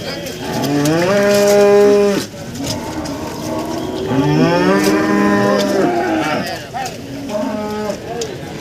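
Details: Cattle at a market in Nganjuk, East Java, Indonesia, selling breeding cows and cows with calves: two long, strong moos, the second wavering in pitch, then a shorter, softer call, with clicking and market chatter around them.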